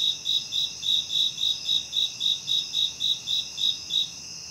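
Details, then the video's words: Insects calling at night, a rapid series of bright, high chirps roughly every quarter second layered over continuous shrill, ringing trills; nothing else heard. "Nighttime Insect Sounds"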